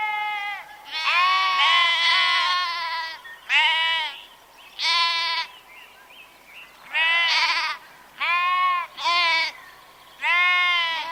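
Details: Sheep bleating in a run of about eight loud, harmonic, wavering bleats over eleven seconds, some long and drawn out, a few overlapping, with short quiet gaps between them and a faint background murmur.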